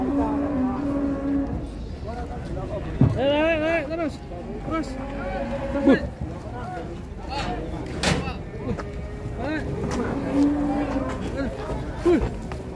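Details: Very large cattle brought out at an Indonesian livestock pen, mooing in a drawn-out, wavering low voice. Men talk over it, with background music and vehicle-like rumble throughout.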